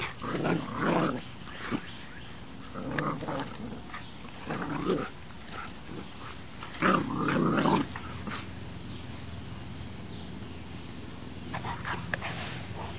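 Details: Play-fight between Max, a bold Boxer puppy, and Baby, a female English Mastiff. Repeated growling, snarling bursts of about a second each come in a rapid series, then fade to scattered short yaps.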